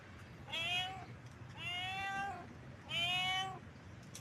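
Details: In heat, a house cat repeats three long, wavering meows roughly every second and a quarter, each rising then sagging in pitch, set against a steady low background rumble.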